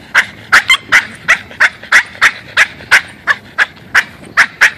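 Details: Excited Boston terrier out walking, keyed up for about a mile before settling down; quick sharp high-pitched yelps repeated almost three times a second in an uneven but continuous run, nothing else clearly audible.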